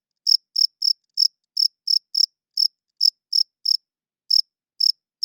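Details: High, sharp cricket chirps at night, delivered in a slightly uneven series with short gaps, each chirp a brief bright pulse against silence.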